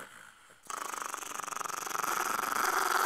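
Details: Growling from a dog in a household with a chihuahua puppy and a pitbull-chihuahua mix, Mimi and Mia: after a quiet start, a loud, rough, rapidly pulsing growl builds and grows stronger for over two seconds while the owner urges Mia to be nice.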